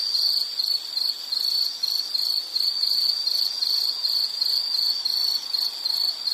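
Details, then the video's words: Insects chirping for relaxation: a high, piercing trill broken into short regular bursts roughly three per second, loudness rising and falling slightly, over quiet hiss. "Nature Sound of nature sounds scenery L · insect"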